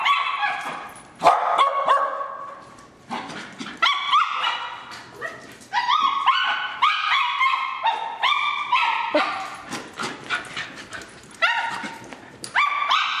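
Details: A playful pair of terriers trade rapid, yippy barks and rising whines in dense bursts with brief gaps, their voices overlapping at times.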